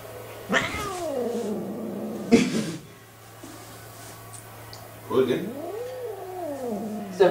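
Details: A domestic cat gives long, wavering yowls that rise and fall, broken by sharp spitting hisses.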